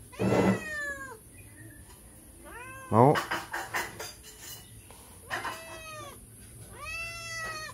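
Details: Cat asking for food beside a house, meowing four times: short, loud, falling meows spaced a few seconds apart, with a woman talking and a burst of noise between calls.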